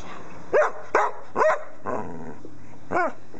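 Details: Female English Springer Spaniel performing her own made-up song: a series of loud, yelping, howl-like barks with rising then falling pitch, about five bursts spaced irregularly over a few seconds, indoors with steady background hum.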